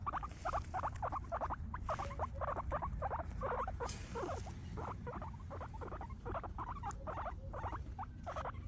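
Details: Grass-eating guinea pigs, several, happy, chatter with quick squeaks repeated about three times per second in an uneven rhythm, plus one sharp click and a low rumble beneath.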